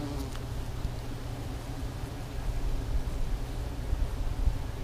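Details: A steady, low, rumbling hum comes from hundreds of bees in a tree in spring. The mass buzzing grows slightly louder and rougher toward the end.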